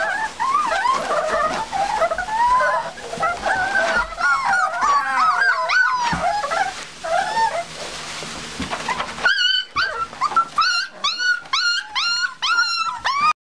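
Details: Seven-week-old Olde English Bulldogge puppies placed together in a puppy box, whining with many overlapping high wavering whimpers, then a clearer series of sharp rising yelps repeated about once a second.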